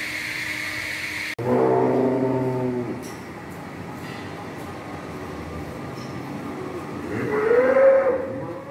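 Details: Cattle lowing in two bouts: a deep harmonic moo near the start, then quieter background noise with faint clicks, and a second rising, nasal moo near the end.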